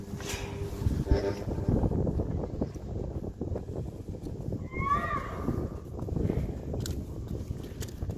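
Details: Johnny, a Friesian horse said to be in love, seen alongside foals, lets out a short wavering whinny midway through, surrounded by Dutch speech, rustling and low thudding hoof noise.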